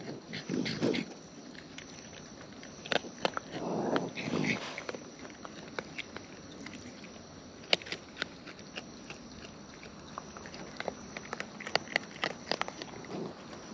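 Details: Wild raccoons eating close up: bursts of crisp clicks and crunchy snaps, some in quick clusters and others spaced apart, with short broadband rustles near the start and in the middle, over a quiet outdoor background.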